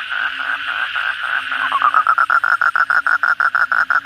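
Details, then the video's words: Night chorus of kodok bangkong, the Asian common toad, after a downpour: a blurred buzzing that sharpens into clear, rapidly repeated short pulses, roughly three per second, over a faint low hum. "suara kodok bangkong pada gacor setelah hujan lebat malam hari"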